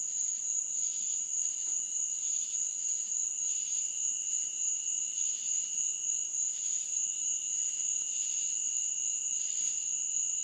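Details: A nighttime insect chorus in a meadow gives steady, high, ringing trills with softer pulsing chirps beneath.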